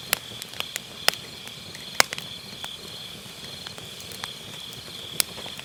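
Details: Steady high insect trilling from autumn grass at night, recorded with an MKE600 microphone with low cut near a round fire-pit campfire, overlaid by occasional loud pops and softer crackling of firewood.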